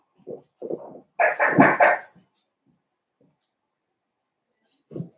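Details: Blenheim Cavalier King Charles Spaniel puppies from a litter of five born at New Year's, in an indoor puppy pen: a few soft low grunts, then a quick burst of three loud, rough yips, and one more short grunt after a pause.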